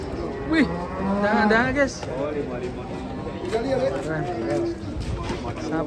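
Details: Cattle jumping down from a truck: a low, drawn-out moo with rich stacked harmonics in the first two seconds, then shorter, quieter lowing, over people chattering and background music.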